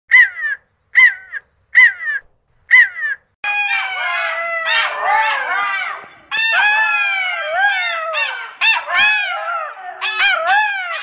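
Jackals give four short yelping calls, then break into a wild chorus of wailing, quavering howls.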